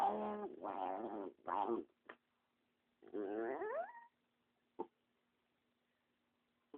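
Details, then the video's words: A protective pet dog named Spumoni growls when someone walks up to him and his companion dog: choppy harmonic growls, then one rising whine-like slide, with faint clicks and a steady low hum. "Spumoni makes weird noises"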